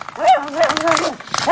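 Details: A Dachshund playing and fighting with a door stopper gives a whiny, wavering growl-yip, its tone sliding up and down.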